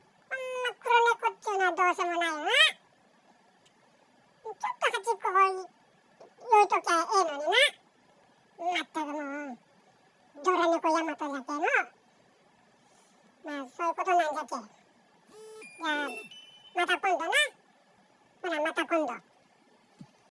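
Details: Tira, a male Bengal cat, talking to himself indoors: about ten bursts of short, warbling, chirp-like meows rising and falling in pitch, each burst lasting about a second, separated by brief silences in a quiet room.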